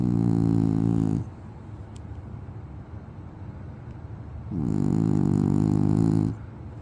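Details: Snoring French Bulldog giving two loud, buzzing rattly snores, the first fading out at the start and the second lasting nearly two seconds, separated by a quiet gap of soft breathing.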